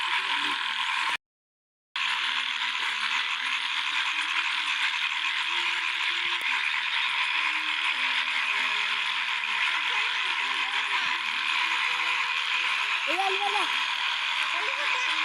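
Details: Frog chorus at a small field lake in the first rain, a constant dense buzz of many overlapping rapid croaks, with scattered lower upswept calls toward the end; a short silent break near the start.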